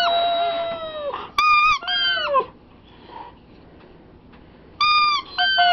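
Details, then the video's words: Pet Siberian Husky whining as his squeaky toy is squeezed: a long, high, steady whine that slides down at the end, a shorter falling whine, then sharp paired toy squeaks later on. "Siberian Husky (Jerry Lee) crys with toy"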